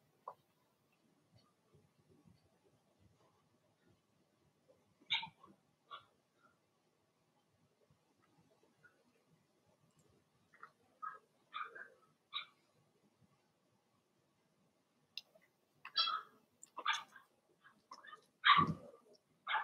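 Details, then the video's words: Cavalier King Charles Spaniel puppies, Blenheim, from Remy's litter of six, indoors in the puppy pen; sparse high yelps grow into a busier run of overlapping yips and whines, ending in a strong bark. "Cavalier Puppies Bark, Howl, and POOP"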